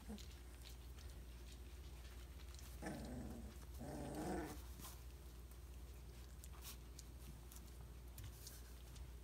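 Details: Briard puppies at three weeks old give two brief, rough, low growling bursts about a second apart over a steady low hum, with scattered clicks and patters.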